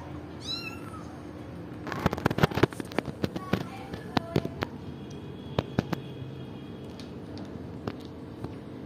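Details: Kittens 38 days old indoors; one gives a single short, high, sliding meow early on, followed by loud clattering knocks and taps, with a faint steady hum underneath.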